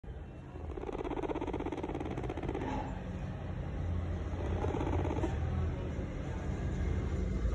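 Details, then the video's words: A baby guinea pig vibrating loudly, a low, rapid rumbling buzz that continues throughout, swelling and easing in waves, with a steady hiss in the background. "Guinea pig baby vibrating loud"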